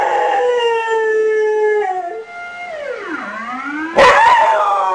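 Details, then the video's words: Dog copying a siren alarm with a sustained howl that holds steady, slides down into a low dip, climbs again, and ends in a sudden sharp burst. "Dog imitating siren alarm"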